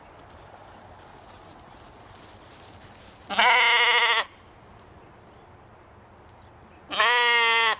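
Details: Katahdin sheep playing on a Michigan homestead one evening give two loud, wavering bleats, each about a second long, above a quiet background.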